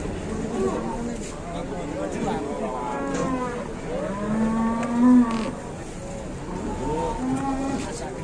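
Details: Cattle unloaded from a truck at the crowded Gerabak livestock market in Indonesia: several long, low, drawn-out moos with rich harmonics, one swelling louder midway. Faint human voices murmur underneath.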